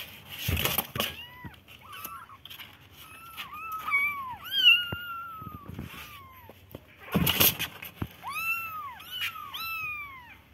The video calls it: cute baby kittens sound